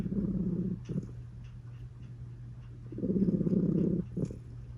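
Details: A domestic cat purr-snoring indoors: a rough, vibrating low rumble for the first second, a quiet breathing gap, then another long purring rumble from the third to fourth second.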